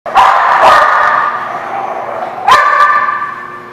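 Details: Dog recorded on 18 November 2017 giving loud, harsh barks: a burst of two or three overlapping barks at the start, a long ringing tail, then one more sharp bark about two and a half seconds in.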